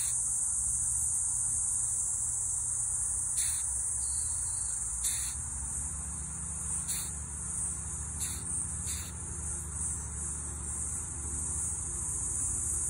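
A rhinoceros beetle gives short, sneeze-like hissing bursts over a steady high insect buzz.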